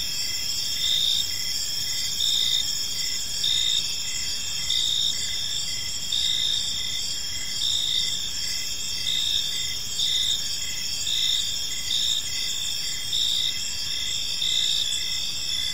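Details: Park crickets at evening keep up an unbroken high-pitched trilling chorus, regular pulses of louder chirping coming just under once a second throughout, over a gentle low ambient hum.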